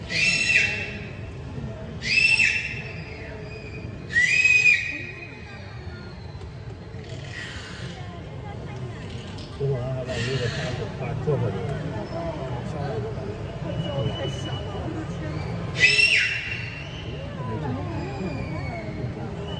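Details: A beluga whale playing with its toys makes a run of harsh, buzzy squeals with whistled cores, three close together and then spaced bursts. Quieter chirps and a steady low rumble of water and background noise fill the gaps.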